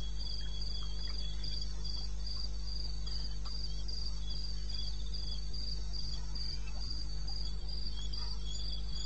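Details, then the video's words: Night chorus of crickets in eastern Botswana's wilderness, taped around 2:30 AM in May; fast, even trains of high-pitched chirps repeat continuously, with a steady low rumble beneath. "1 Hour cricket sound-Africa-No loop-Real recording"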